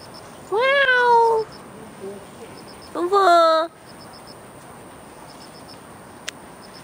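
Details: Domestic cat in a Beijing garden, one of two cats, Fengfeng and Huangxiaomi, out on an early-morning walk on August 13, 2013. Two clear, drawn-out harmonic meows, rising then sliding down, about two seconds apart, over faint regular high ticking.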